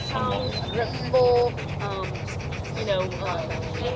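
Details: Male Rottweiler Jefe von Tonatiuh in an IGP3 protection routine at a 2021 DVG America championship qualifying trial. It makes short, high, drawn-out whines and yips, a few in quick succession, over a low rumble and talking.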